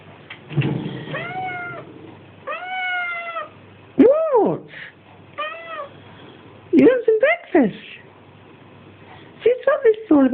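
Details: Siamese cat Mr Beanz wails at midnight, demanding food: a string of loud, drawn-out meows that arch up and down in pitch, some rapid and choppy, about a dozen in ten seconds, with a human voice talking between them.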